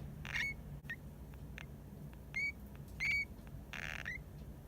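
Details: Drowsy pet hamster Hamuzo giving occasional unexplained calls while half asleep, possibly snoring: brief thin chirping squeaks, some slightly rising, about four or five scattered across a few seconds, between soft rustles over a quiet indoor background hum.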